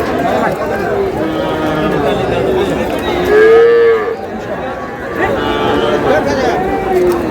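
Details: Sahiwal bull calves at a cattle market in Cumilla, Bangladesh: a loud, short moo rises and falls mid-clip, with fainter lowing around it and steady chatter as people bargain nearby.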